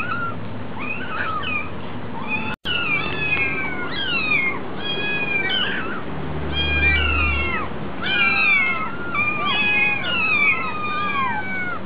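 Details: Hungry kittens at a cat cafe, many high, wavering meows overlapping almost nonstop, some rising, others falling, with a short click near the start and a low steady hum underneath.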